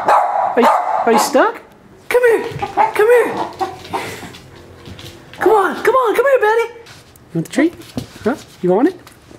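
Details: Corgi puppy stuck under a couch, giving arching, whiny yelps in two bursts of several notes each, with a person talking over and between the cries.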